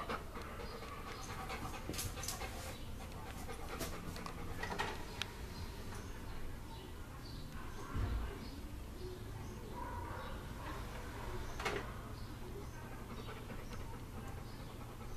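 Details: A frightened female Weimaraner, apparently scared of a Blu-ray player, pants heavily with breathy, rasping huffs and faint whimpers.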